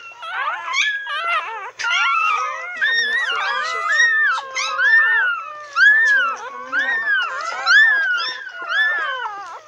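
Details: A litter of nine newborn retriever puppies, aged minutes to an hour, beside their mother: near-continuous chorus of thin, bending whines and squeaks from several pups at once, with slightly lower sliding cries underneath.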